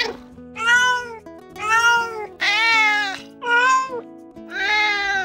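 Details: Domestic cat meowing, a way cats communicate with each other and with people; five clear harmonic meows about a second apart, rising then falling, over soft background music.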